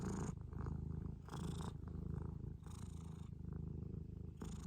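A Scottish Fold cat purrs in a steady, low rumbling drone close to the ear.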